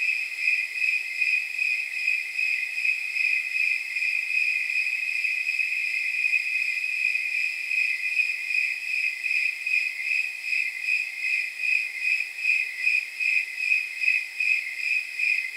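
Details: Long, even run of about 40 bell-like chirps from snowy tree crickets on a warm night around 79 degrees, repeating at roughly 154 per minute, with a soft steady hiss of other insects behind.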